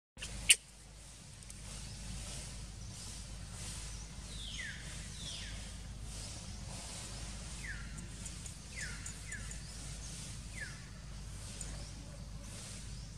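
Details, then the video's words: Little monkey Sok, hungry and crying to ask for food, gives a run of high, sharply falling wails in small bunches, mostly in the second half, over a steady low rumbling background hiss. "Poor Little Monkey Sok Hungry And Crying to Request Food"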